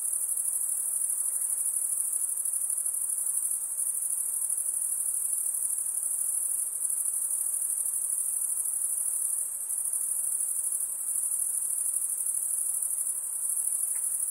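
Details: A continuous chorus of high-pitched insect trilling holds an even, shimmering tone throughout, with slight dips in loudness now and then and nothing else clearly heard.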